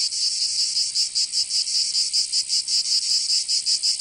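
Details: Summer cicada chorus from Provence in the south of France, a shrill rasping drone broken into rhythmic pulses roughly two to three per second, slightly uneven, with nothing else audible.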